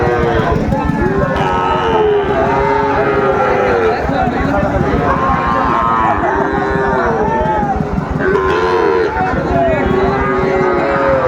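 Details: Lowing of Sahiwal bull calves, around six months old, at a Thursday cattle market in Raniganj, Mymensingh, Bangladesh, 9 May 2024. Repeated long moos from several animals come in waves against constant crowd noise and talk.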